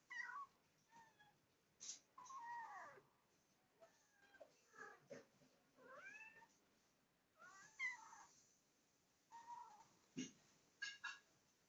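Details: Curious kitten nearing the camera, letting out a run of soft, thin meows, some rising and some falling, scattered through the recording between quiet pauses and a few light knocks.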